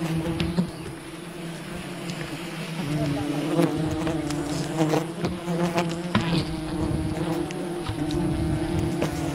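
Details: Wild bee colony disturbed during honey hunting, a dense steady droning buzz with low layered tones, wavering slightly in pitch, broken by scattered sharp clicks and knocks throughout.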